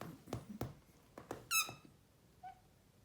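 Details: Male Maine Coon, a chatty cat, chirping at its owners: several dull knocks and thumps, then one loud, sharp chirp, followed by a softer, lower chirp a second later.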